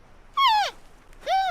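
Two short, clear bleating calls from a giant panda, the first sliding downward and the second rising then holding.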